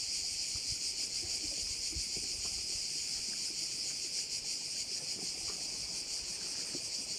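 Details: Steady insect chorus of crickets by a bay in Korčula, a ringing high buzz with subtle fast pulsation that never breaks. Faint scattered low ticks lie in the background.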